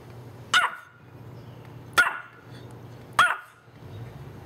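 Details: Pet Pomeranian bitch reacting to the doorbell, recorded with a Panasonic SDR-S50 camera; three quick sharp barks about one to one and a half seconds apart, each brief and bright, over a quiet indoor hum.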